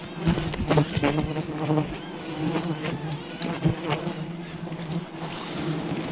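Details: Honey hunting at a wild bee colony, with a constant low buzz of many bees mixed with loud clatters, snaps and rustling of the harvest close by.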